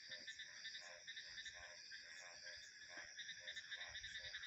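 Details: Frog croaking as short pulsed notes repeating about twice a second, set against a continuous shrill chorus of crickets and insects.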